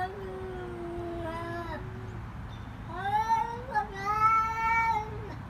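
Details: Mother cat caring for her kittens in the wild: drawn-out, tonal meows, one long and level, then several rising and bending calls overlapping near the end, over a steady low hum.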